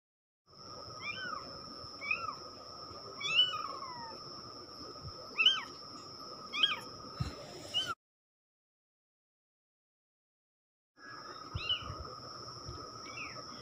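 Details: Baby kittens from one litter of three meowing: thin high rising-and-falling mews repeated irregularly, some overlapping, over a steady high electronic whine and low hum, with a silent gap midway.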